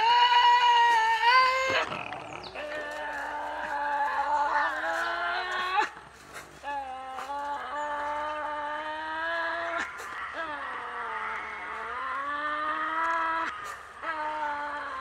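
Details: At a nighttime feeding, a Tasmanian devil guards its meal with drawn-out, tonal moaning growls that waver and dip in pitch, broken by short gaps and snapping, crunching noises.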